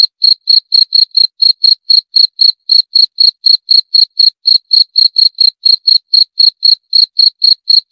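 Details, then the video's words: Steady cricket chirping throughout, rapid short high pulses at about four per second, even in loudness and spacing, in an otherwise silent background. "Suara Jangkrik - 28 Minutes Cricket Sound Effect"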